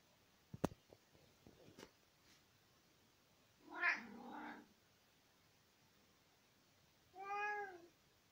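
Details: A tomcat chatting to his owner in spring 2020. A few sharp clicks and taps come first, then two drawn-out meows about three seconds apart. The second meow is clearer and slightly falling.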